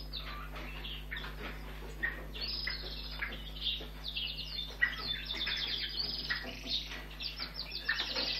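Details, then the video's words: Rescued European red squirrel kit, a few weeks old, during feeding: loud, sharp high chirps and squeals, growing busier and more insistent toward the end, with faint mechanical hum. "Kelempájsz madár fióka etetése (Európai mókus)"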